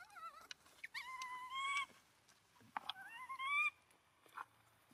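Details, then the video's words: An abandoned monkey cries while hugging its owner's feet: rising, wavering whimpers with strong harmonics, two drawn-out whines each climbing in pitch, separated by short breaks, with faint handling noise. "Un pobre mono abandonado llorando abrazando los pies de su dueño"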